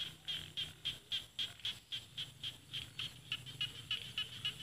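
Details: Paddy-field frogs of northeastern Thailand's Isan countryside, rice fields against mountains. Steady, evenly spaced bright clicking calls repeat around four times a second, with a second frog overlapping later.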